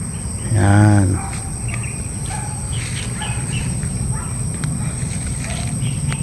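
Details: Goat giving one loud, quavering, wavering bleat lasting under a second near the start, followed by a steady background hum with faint scattered bird chirps and a few quiet clicks.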